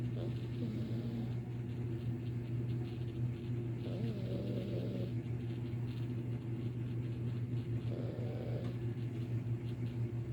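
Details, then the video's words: Domestic cat snoring in another room, first mistaken for a sleeping brother; soft raspy breaths swell roughly every four seconds over a steady low electrical hum in a quiet indoor space. "I thought my brother was snoring in the other room turns out its my cat"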